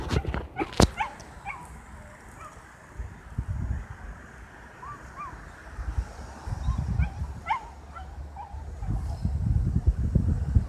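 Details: A tiny puppy attacking a much bigger dog in a scuffle; low rumbling growls and snarls fill the scene, broken by short high yelps and whimpers scattered through the clip, with a sharp click near the start.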